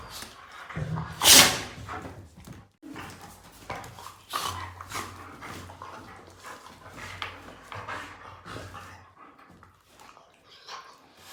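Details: Sophie, a household German Shepherd, reacting to a person's snoring. A loud burst opens, then quick yips and whimpers scatter irregularly over a low, steady rumbling snore that rises and fades in repeated breaths.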